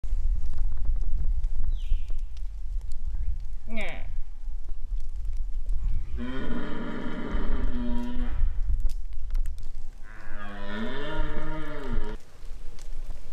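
A red deer stag gives two deep, drawn-out roars over a low rumble of wind.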